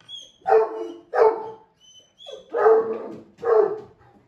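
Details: An older male Great Pyrenees, usually quiet and rarely playful, barks to ask his owner to play: five deep, full barks in quick succession, paired with short pauses, in a quiet indoor setting.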